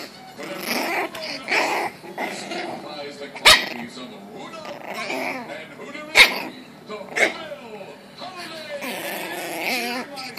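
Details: Lily, a 7-week-old Chihuahua and Pekingese mix puppy, angry, gives short high-pitched yappy growls and barks in irregular bursts, about twenty per minute, while people talk and laugh over her throughout, with a couple of sharp knocks.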